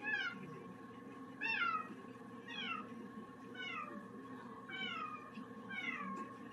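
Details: Pet cat indoors, a mischievous troublemaker: six short falling meows repeated roughly every second, each starting high and sliding down, over a steady low room hum and faint background noise.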